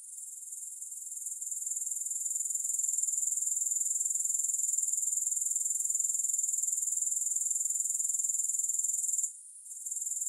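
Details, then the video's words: Continuous thin, high buzzing of grasshoppers with no music, made for sleep and focus. The sound is a dense run of rapid pulses, swelling slightly at the start and briefly cutting out near the end. "3 Hours of Grass Hopper Sounds"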